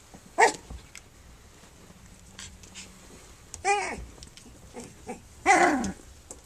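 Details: Flute's pups at three weeks old, nursing and playing: three separate sharp high squeals spaced a couple of seconds apart over a quiet indoor background with faint shuffling.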